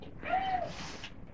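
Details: Ragdoll cat named Merlin asking for food before mealtime, giving a single short tonal meow with a gently arched pitch, lasting about half a second.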